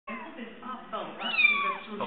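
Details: Small fluffy kittens on a chair mewing indoors, high thin cries rising and falling over about two seconds, overlapping one another, with a person talking in the background.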